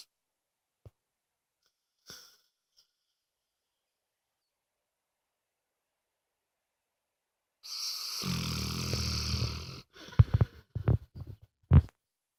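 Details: Moses, a loud-snoring pet dog, lets out a single low rumbling snore of about two seconds after long quiet, followed by scattered snorts and smacking mouth noises.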